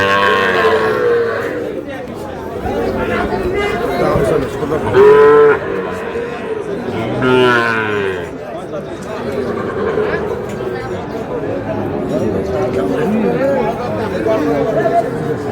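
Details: In a noisy, crowded cattle market on 24 February, Sahiwal bull calves bought by a Noakhali farmer are heard. Two short moos rise out of constant voices around the middle of the stretch.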